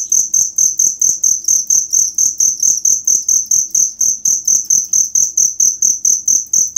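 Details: Cricket chirping recorded as tutor sound for songbird hobbyists: bright, high-pitched pulsed bursts repeating rhythmically about twice each second, accompanied by faint low clicks under each pulse.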